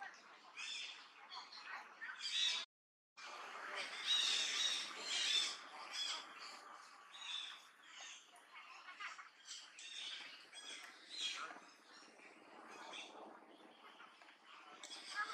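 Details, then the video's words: Duchess, a macaque in Cambodia's Angkor Archaeological Area near Siem Reap, shouts loudly on seeing an enemy coming: harsh, broadband shrieks in rapid irregular bursts, with a brief silent gap early on. "Duchess Shout as loud as thunder when see the enemy coming"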